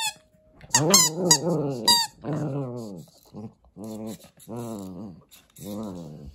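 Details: Kotetsu, a Papillon-Corgi mix dog in Japan, plays indoors with a rice ball toy. Sharp, high toy squeaks open the clip, followed by a run of low, arching, grumbling growls, each lasting about a second, with brief pauses between them.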